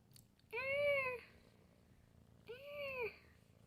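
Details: Meowing from Milo the cat in late 2020: two clear, arching meows about two seconds apart, each rising then falling with rich harmonics, over a quiet low hum.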